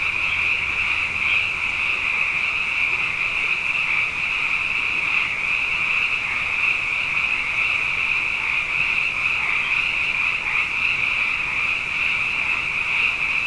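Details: A nightly sound bath of numerous frogs following two wet years: a sustained, piercing chorus of overlapping trills, unbroken for the whole stretch, with slight swells in intensity now and then.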